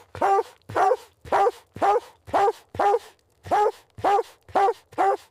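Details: Mother dog and puppies playing in fresh white snow in winter; a steady series of ten even, resonant barks, roughly two per second, with short clean gaps between them.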